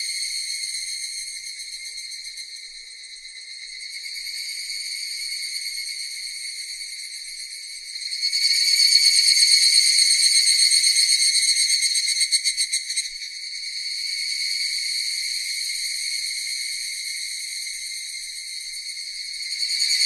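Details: Cicadas singing in a continuous high, shrill buzzing drone with several stacked bands, swelling louder and pulsing rapidly in the middle before easing back to a steady hum; no other sounds.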